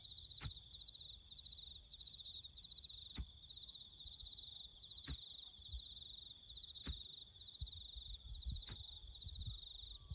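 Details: Crickets chirping in the bush near farm road-building work: a dominant, constant high-pitched pulsed trill, with sharp clicks or taps roughly every two seconds and soft low rumbling in the background.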